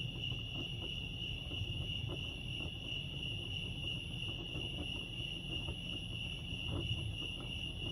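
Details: Steady high cricket trill at Lake Arrowhead, California, pulsing evenly from start to finish, with a stronger low rumble like distant traffic beneath it.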